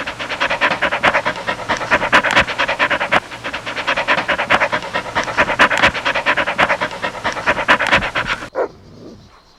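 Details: Golden Retriever puppies playing on a green meadow pant fast and breathily, more than two puffs a second, for about eight seconds before it stops abruptly and leaves near quiet.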